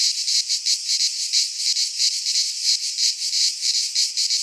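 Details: High, hissing cicada song in a Greek pine forest during midsummer, the buzzing swelling and fading in quick beats close to three each second, a constant wall of insect sound.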